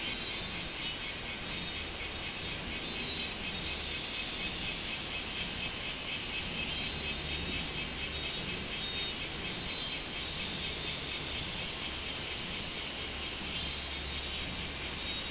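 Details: Minmin cicada calling on 24 July 2016, a dense, steady high buzzing chorus with wavering pulses in the upper range, sustained without a break through the whole stretch.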